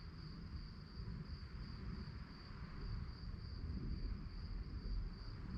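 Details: Crickets chirping at night: a thin, high, evenly pulsed trill runs without pause through the whole stretch, laid over a steady low rumble.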